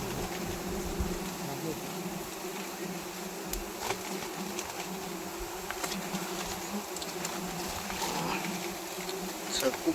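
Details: A mass of wild honey bees droning while their honey is cut from the hive in a wild harvest; steady low buzzing with a higher harmonic, occasional sharp ticks and rustles, rising slightly near the end.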